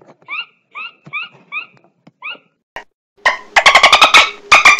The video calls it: Dolphin sounds